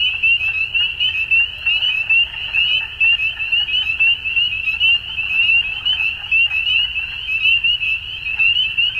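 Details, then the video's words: At dusk, a mass of frogs keeps up an unbroken shrill trilling. Short surges of louder pulsing notes repeat throughout, and a quiet low rumble sits in the background. "Frogs At Dusk"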